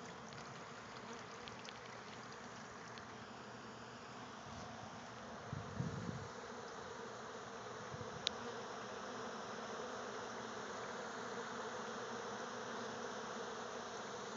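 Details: Many bees at a communal feeder, resting and cleaning themselves on potted citrus trees a few feet away; steady overlapping buzzing with low humming tones, one louder buzz passing close near six seconds, over constant background hiss.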